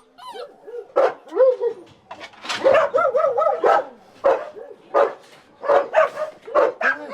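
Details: Dog with an embedded collar crying during its rescue: a run of high, wavering whimpers and whines in short bursts, about ten over seven seconds, each bending up and down in pitch, with sharper yelps among them.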